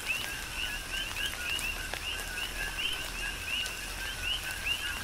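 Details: Many coqui frogs call together in tropical rain on Hawaii's Big Island: brisk, repeated two-note chirps rising from low to high, several per second across the chorus, over a steady patter of rain.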